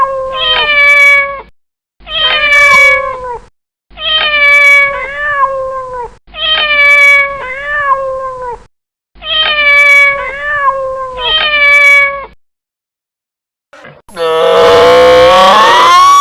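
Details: Cat meowing insistently: six loud, wavering meows in quick succession, about one every two seconds, each dipping slightly at the end, then a pause and a harsher, noisier drawn-out cry to finish.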